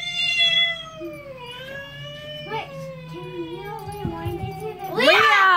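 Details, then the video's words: Drawn-out, wavering caterwaul from domestic cats, sliding slowly downward, followed by shorter warbling yowls with a human voice faintly underneath, ending in a sudden loud, harsh, strained cry. "Cats, cat sounds"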